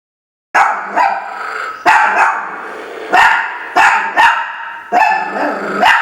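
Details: Three pet Chihuahuas, Jacques, Isabelle and Rachelle, playing together: sharp high yapping barks in quick bursts, about six clusters over six seconds, with short gaps of near silence between them.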